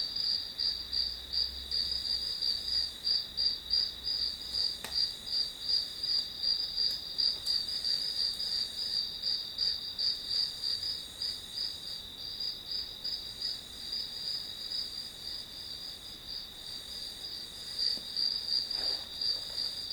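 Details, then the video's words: Grass insects calling in a continuous, bright, high-pitched pulsed chirping, roughly three pulses a second, steady and even over a quiet background with an occasional faint tick. "풀벌레 소리"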